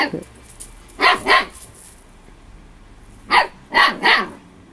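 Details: Storm, a Husky puppy of 8 weeks, playing and attacking her own tail: two quick high barks, a pause, then three more sharp yaps in a rapid burst, room quiet between.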